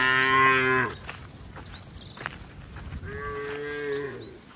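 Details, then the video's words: Cattle being herded along a wet road toward the farm barn in the rainy season: a loud, harmonic, level moo lasting under a second, then a second, softer drawn-out moo, with high chirping birds in the background. "Bunyi sapi"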